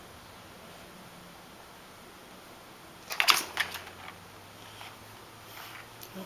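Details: Steady indoor room hum, broken midway by a brief burst of plastic clicking and rattling from a toy track, with no animal voice heard.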